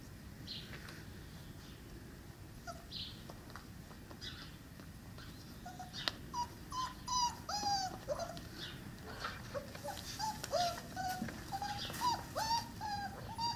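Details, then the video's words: Five-week-old Cane Corso puppies from the litter of Axa and Paolo whimper indoors: thin, high, arching squeals that fall in pitch, quiet at first, then coming in quick overlapping bursts through the second half, with scattered faint clicks. "Cane Corso Welpen aus Axa & Paolo 5 Wochen Alt."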